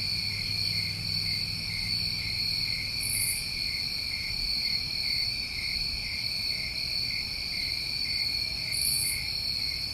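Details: Constant shrill cricket chorus from a New England summer, several steady trilling tones held without pause, with two short very high buzzy bursts several seconds apart and a soft low hum early on.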